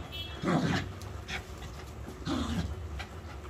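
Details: Female Pomeranian dog pestering its owner because it wants to play, giving two short, low, whiny growl-like vocal bursts about two seconds apart, each under half a second, in a quiet indoor setting.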